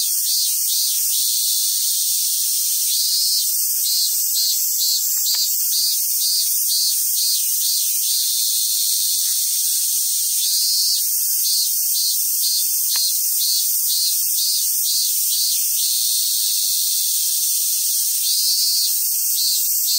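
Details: Loud summer cicada song on Awaji Island, Hyogo, Japan, where wild Japanese macaques gather: a dense shrill wall of sound, with bursts of rapid pulsing buzzes on top and a couple of sharp knocks.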